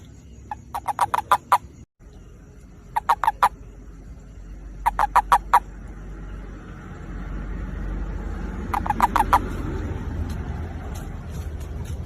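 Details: Calling toad looking for a partner: four bursts of quick, rattling pulses, the first three close together and the last after a pause, against a steady hiss that rises through the second half.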